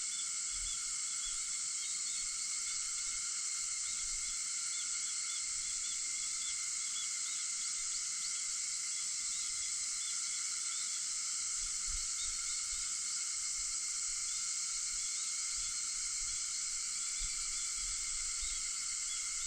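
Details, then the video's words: A continuous wall of cicada sound at 4:50 a.m. on August 4: bright, steady, hissing buzz lasting the full stretch, with sparse faint chirps and low, soft rumbles beneath. "眠気を誘うセミの声 8月4日 朝4:50の音"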